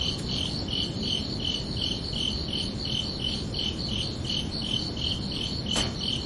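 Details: Crickets chirping at night: a steady series of short, bright, high-pitched chirps, roughly three per second, over a constant low rumbling hiss, with one sharp click near the end.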